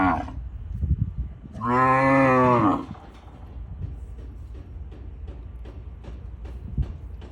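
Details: Four Brahman bull calves from a registered herd in Westhoff, Texas, on weaning day, 3 November, during a fresh norther. A single loud, rich, steady moo lasts about a second, after low thuds and soft rustling, then windy background noise.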